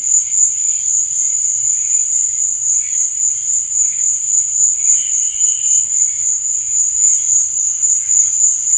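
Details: Crickets at night: a steady, very high-pitched ringing trill that never breaks, with softer pulsing chirps underneath and a faint low rumble.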